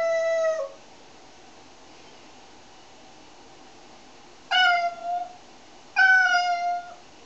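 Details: One of three cats being shampooed, giving three loud, clear meows, each a slightly falling tone, the first short and the next two longer and drawn out, spaced a few seconds apart in a quiet room.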